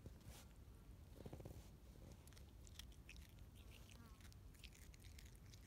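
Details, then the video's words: Quokka eating grass: soft, irregular crunching and biting bursts, with faint voices in the background. "쿼카 풀뜯어먹는 소리 Quokka's mukbang"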